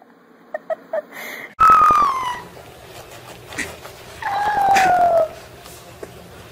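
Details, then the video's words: Puppy learning to howl gives two drawn-out tonal howls, each sliding gently downward in pitch, the second lower than the first, after a few short soft sounds and quiet background noise. "Puppies Learning to Howl"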